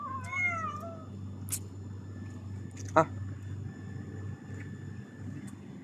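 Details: Pet cat among three greeting their owner after work in Qatar, now eating eagerly; a single brief wavering meow at the start, followed by clicks, a sharp knock and low room hum.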